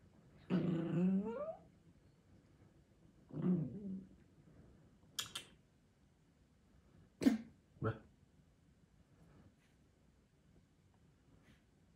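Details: Six-month-old female Chihuahua indoors, giving low rumbling growls in two short bursts, then quiet with a few sharp clicks and knocks, while a woman speaks to her nearby.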